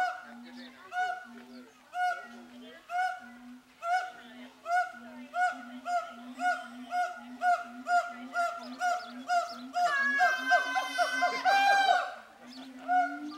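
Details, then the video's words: Captive siamangs at a zoo, excited and hooting and shouting at each other: steady series of short harmonic hoots about twice per second, growing louder and faster, breaking into a loud shrill shrieking burst near the end, then hooting again. "Siamangs singing"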